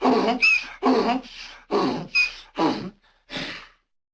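A donkey brays in a rough, breathy hee-haw, alternating low and high bursts.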